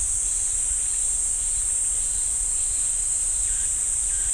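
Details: In the pine woods of Ssanggyesa temple on Jirisan, Korea, cicadas hold a steady, piercing high-pitched drone without pause, faint brief chirps surfacing near the end over a soft low background rumble.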